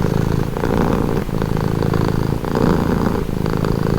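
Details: Cat purr, low and throbbing, with breath cycles about every second, the rumble briefly dipping between inhale and exhale before resuming at the same even strength.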